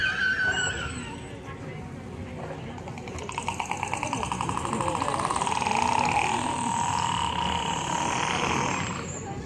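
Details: Killer whale calls made through the blowhole: a brief high whistle, then a long buzzy pulsed call that bends in pitch, part of a pod's own dialect of calls.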